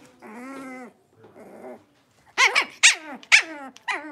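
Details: Playing Blenheim Cavalier King Charles Spaniel puppies from a litter of five in their pen: two drawn-out nasal whines, then four sharp, high barks in quick succession, each one falling in pitch.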